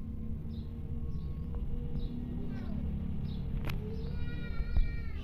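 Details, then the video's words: Rescued orphan kittens asking a nursing mother cat for milk: thin, high meows and short squeaks come every second or so, ending in a longer drawn-out mew, over a constant low hum. "Rescued Orphan Kittens Asking Nursing Mother Cat For Milk"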